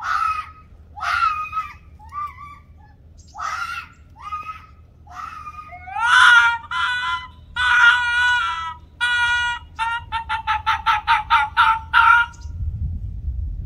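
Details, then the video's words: Ianto the Arctic fox in a domestic dispute with Waverly the red fox: harsh harmonic screaming yelps, first spaced wails, then drawn-out cries and a rapid run of short barking screams near the end, indoors. "What does the Arctic Fox say?"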